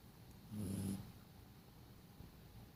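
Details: A sleeping dog gives one short, low, rasping snore lasting about half a second, followed by quiet breathing-like hiss.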